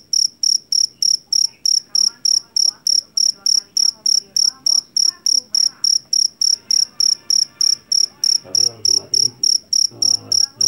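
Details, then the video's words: Jangkrik jeliteng, a Javanese field cricket caught in a rice field, famed for its loud shrill voice: sharp, high chirps repeated about three per second in a steady train, over faint low murmuring background sounds. "SUARA JANGKRIK PENGUSIR TIKUS SUARA ASLI"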